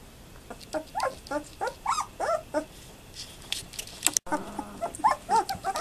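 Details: German Shepherd puppies, 12 days old, from the litter of mother Fan-Widi's HIPPI and father Koby von Fidelius, recorded 18 November 2012, give rapid, repeated high whimpers with arched pitch, several per second, with brief rustling indoors.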